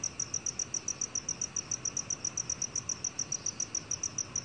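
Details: Unbroken series of bright, high, metallic chirps from a black cricket, about three to four per second, evenly spaced throughout, with a faint low hum beneath.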